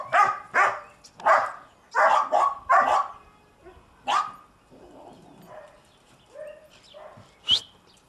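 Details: Young German Shepherd, about seven months old, playing in snow: a quick run of sharp barks over the first three seconds, one more bark at four seconds, then soft whines and a high yelp near the end.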